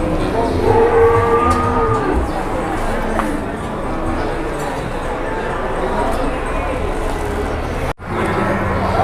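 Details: An exceptionally large head of cattle at a busy Indonesian cattle market, surrounded by traders bargaining over it. A single drawn-out, tonal moo rises early on and lasts about a second, over steady crowd chatter and market bustle.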